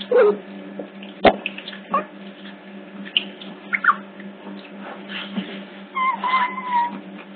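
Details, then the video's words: Hidden CCTV catches otter pups at Hertfordshire Zoo: brief squeaks early on, then drawn-out whistled tones that slide downward near the end, mixed with scrapes and a faint hum. "Otter Pups Caught on CCTV"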